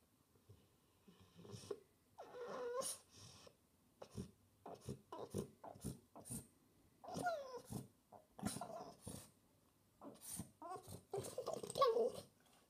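A French Bulldog whines and grumbles in short, nasal bursts, seeking attention.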